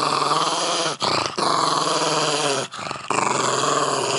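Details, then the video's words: Pug named Milo eating a pumpkin squash and growling fiercely indoors: steady, harmonic-rich rumbling growl bouts separated by two brief pauses for breath. "Milo Eating Squash Growling"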